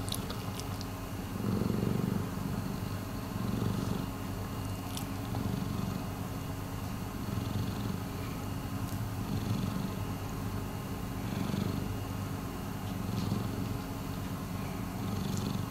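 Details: Rescued cat Miiko purring steadily, a deep vibrating drone rising and falling in regular breath-length waves, loudest near the start, with a few faint clicks over a quiet room.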